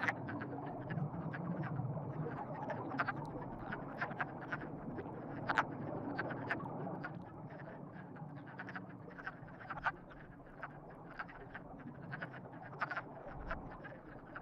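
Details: Frog chorus during courtship, dense overlapping short croaks and clicks throughout, with a low rumbling background.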